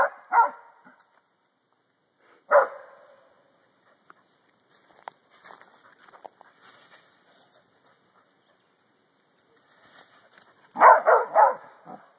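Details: June, a dog, barking at deer, gives two sharp barks, a lone bark a couple of seconds later, then a dense burst of rapid overlapping barks near the end, separated by quiet stretches with light rustling.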